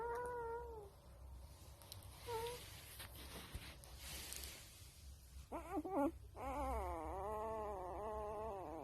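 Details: A female gray wolf pup gives short falling whines, then a long, wavering, howl-like cry.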